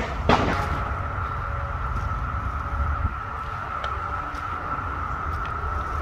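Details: A steady, droning periodical cicada chorus, recorded on 2 June 2021 during a second wave, with females seemingly drawn to string-trimmer noise, holds one even pitch under heavy low engine rumble.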